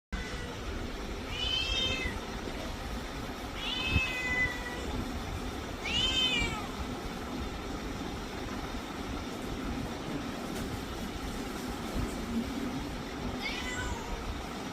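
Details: Cat meowing four times, each a short falling meow spaced a few seconds apart, over a steady low rumble of traffic or engine noise.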